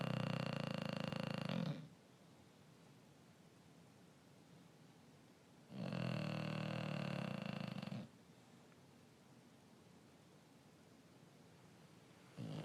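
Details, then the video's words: Male English Bulldog snoring indoors with his tongue sticking out: long, rough, rattling snores of about two seconds each, separated by roughly four seconds of quiet breathing, a third snore just beginning at the end. "English bulldog Riley is snoring with his tongue sticking o"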